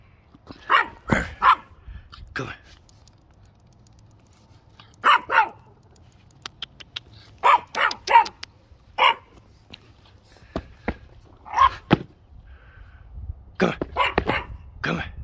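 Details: A Boston Terrier and French Bulldog mix gives short, sharp barks in scattered bursts while playing, with a person calling it.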